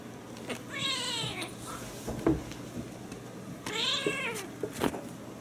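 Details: Ragdoll cat indoors, two drawn-out meows about three seconds apart, each rising then falling with bright harmonics, with soft thumps and small handling noises between.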